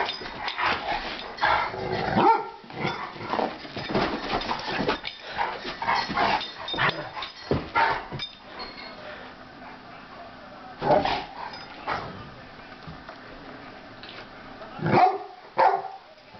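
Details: Crosby and Polly, two Rottweilers at play on New Year's Day, with scuffling, short gruff barks and huffs in quick bursts, then sparse yelps as the romp winds down, and a person speaking at the end.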